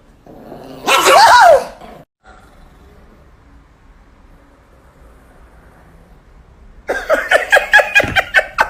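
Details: Angry Chihuahua: a single loud whining, rising-falling yelp, a long quiet gap, then a rapid burst of about eight sharp high barks in quick succession near the end.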